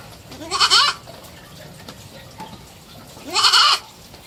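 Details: Kid goat of three months kept as a pet, two brief wavering bleats with a rising onset, about three seconds apart, faint background murmur.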